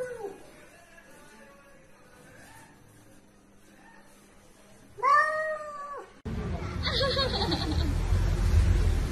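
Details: Domestic cat in a funny-cat compilation: a faint meow near the start, then one loud arched meow around five seconds, followed by a sudden cut to loud noisy rumble.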